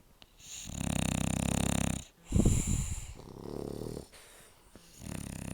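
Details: Snoring sleeping dogs, loud and low: a long pulsing rattling snore, then a sharp snorting burst, followed by further rough breathing snores.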